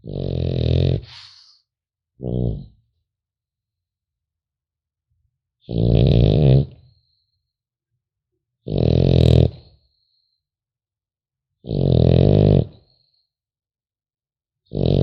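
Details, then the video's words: French Bulldog puppy sleeping, giving deep, buzzing, growl-like snores about a second long, one short fluttering snort, then a three-second silence before more evenly spaced rumbling snores. "Храп щенка французского бульдога"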